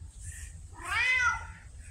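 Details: Pumpkin, a vocal female red tabby house cat with a Siamese-like personality, gives a single rising-falling meow indoors while being told she wants food; faint room hum underneath.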